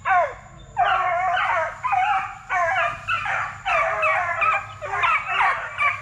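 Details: Plott Tan puppies, a Plott hound crossed with black and tan coonhound, aged 8 weeks to 5 months and raised at a kennel from deer-tracking parents: several high, ringing yelps and bays overlap in near-continuous bursts, about one a second.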